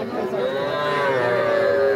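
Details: Cattle calling at the Aftabganj livestock market in Nawabganj, Dinajpur, Bangladesh, during a day of drizzle on 5 September. Young bulls and heifer calves are traded there. A wavering, gliding moo settles into a level tone as crowd voices murmur.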